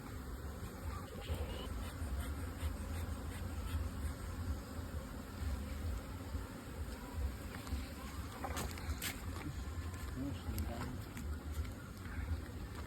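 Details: Bees at modern two-storey hive boxes kept for honey production on a bee farm; a dense, steady low buzzing hum runs throughout, with a few faint clicks and taps over it.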